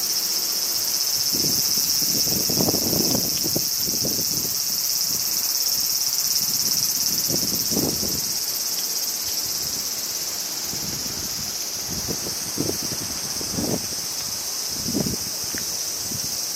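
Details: Many crickets sing together on a summer day in Japan, a continuous, high-pitched shimmer that hardly wavers, while low, irregular puffs of wind rise and fall beneath the chorus.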